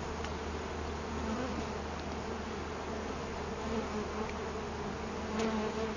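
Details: Many honey bees buzzing around pieces of a wild hive taken from a cut-down tree, placed near a hive body. The humming holds even and continuous throughout, layered over a constant low rumbling drone.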